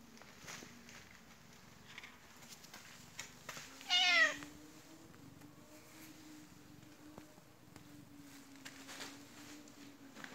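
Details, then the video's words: White Turkish Angora cat rolling on the floor and crying because it wants attention: one loud, sharp, falling meow, followed by quiet rustling and a faint steady hum. "관심받고 싶어서 끊임없이 뒹굴뒹굴 바닥을 구르며 우는 터키쉬앙고라 고양이"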